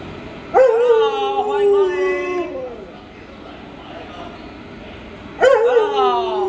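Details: Luoluo, a pet Alaskan Malamute minding a young child indoors, lets out two drawn-out, wavering howls a few seconds apart. Each starts sharply and slides gently downward over about two seconds.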